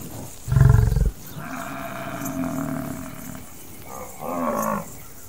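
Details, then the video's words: Wild buffalo in savannah habitat giving one loud, deep grunting bellow lasting about half a second, followed by quieter, drawn-out lower calls and a softer rasping sound near the end, with faint background hiss. "The sounds of buffalo in the wild"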